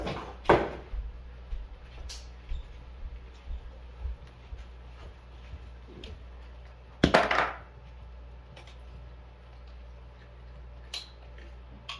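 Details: Two sharp clattering knocks ring out in a small quiet room, with a few softer taps and bumps between them.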